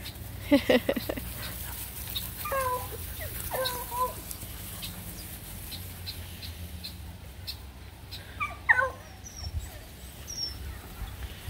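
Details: Playing Redbone Coonhound puppies with a Bluetick Coonhound pup give squeaky whimpers and short yelps in three bursts, with faint high bird chirps and a constant low outdoor hum.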